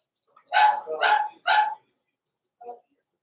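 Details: Three loud, ringing barks in rapid succession, then one soft quieter yip, from Blenheim Cavalier King Charles Spaniel puppies, born November 14, 2022, kept in an indoor pen over the Christmas season.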